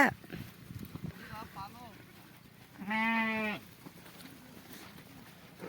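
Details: Sheep being milked lets out one loud, tremulous bleat midway, with faint voices and background hiss around it.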